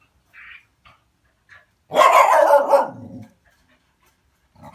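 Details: Dog barking on seeing a cat: one loud, rough, drawn-out bark about a second long, preceded and followed by faint, short, scattered noises.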